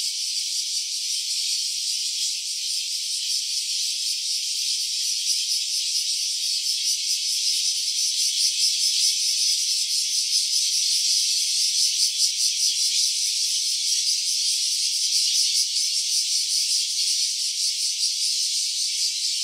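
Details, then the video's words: Cicada recorded in stereo on an OPPO Reno A phone. A steady, high-pitched, dense rasping buzz carries throughout, with a faint pulsing of roughly two to three beats per second. No other sounds stand out. "Cicada's voice"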